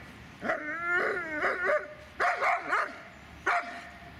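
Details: Dobermann Magmar Von Der Burgstätte lets out drawn-out, slightly wavering whines. Clipped yelping barks come in a quick cluster, and a final single bark closes the sequence.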